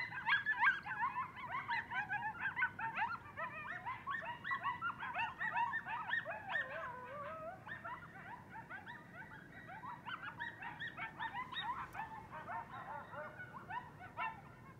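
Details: A pack of coyotes howls together at night outside a house, with wavering, overlapping howls and quick yips filling the air.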